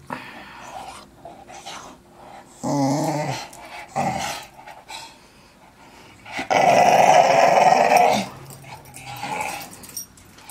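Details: Young English Staffordshire Bull Terrier growling while playing with a ball, broken huffs and short growls followed by a long, loud, rough growl of nearly two seconds, then softer grumbles.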